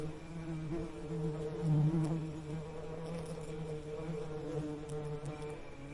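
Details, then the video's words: Steady droning hum of bees, low-pitched and continuous with harmonic overtones, briefly louder around the second second as one insect passes close. "Soothing Bee Buzzing Sound"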